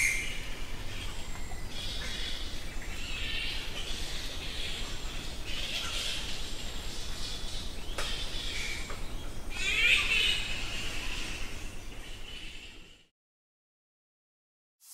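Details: Nectar bats by the thousands crowd a cave at Goa Lawah, Bali, Indonesia, squeaking and squawking; high chattering calls blur into a loud continuous hiss, one sharper squawk near ten seconds, then sudden silence at the end.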